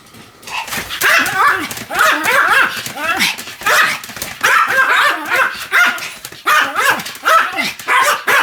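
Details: Pomeranian named Sam, spinning at high speed about 175 times, recorded 1 November 2015; a dense, nearly continuous stream of high, excited yips and whiny barks with rising and falling tones, rarely pausing for long.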